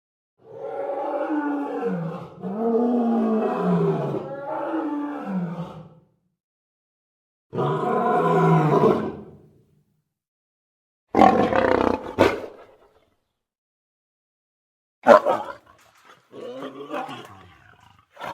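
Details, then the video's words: Lion vocalizing: a string of long, moaning growls that waver up and down over six seconds, another drawn-out groan after a pause, then shorter harsh, rasping bursts separated by silence. "Lion Sounds"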